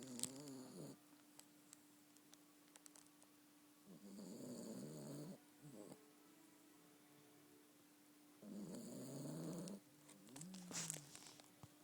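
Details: Yorkshire Terrier asleep and snoring: two broad, raspy snores roughly four seconds apart, each lasting just over a second, with a thin steady hum and small clicks in between.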